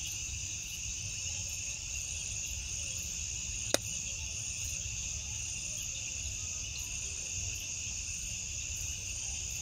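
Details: Crickets trill at night in a steady, high-pitched chorus, unbroken and shimmering, while bioluminescent fireflies light up the night.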